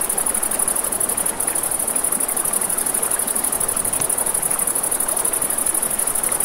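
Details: Crickets chirp in a continuous, rapid, very high trill through a riverside night, over rushing water and the intermittent snap of a crackling fire, with a brief dip in the trill early on.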